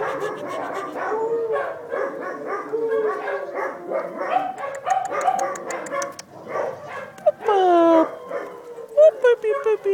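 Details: Dachshund puppies with their mother, recorded August 5th 2011: a dense, overlapping chorus of high whines and squeals, many curving up and down, with sharper yelps near the end.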